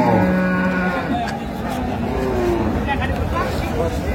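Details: Cow with calf at Ambari livestock market, Dinajpur, Bangladesh, on June 6, 2025; a steady, low, drawn-out moo opens, followed by fainter lowing under continuous crowd chatter and market din.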